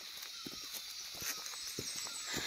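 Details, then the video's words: Many crickets calling along a quiet, deserted path toward Khecheopalri Lake in cold weather: a dense, continuous high shimmering trill fills the air, with soft footstep thuds beneath. "নির্ঝুম, তার মধ্যে ঝিঝি পোকা ডাকছে, লোকজন নেই।"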